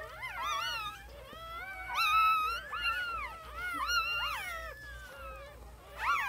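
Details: Several newborn puppies whining together: high, thin, overlapping cries that arch up and fall in pitch, some drawn out and wavering, over a steady low background hum.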